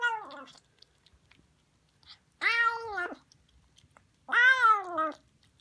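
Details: Harley, a new Siamese kitten, calling while eating sardines; three long, loud meows, the later two strong and arched with a falling tail, separated by near silence indoors.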